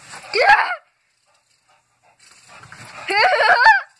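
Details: A bulldog at play with a tape measure gives two whiny, grumbling vocalisations. The first is short and rising. The second is longer and warbling, with a pause between them and faint handling noise.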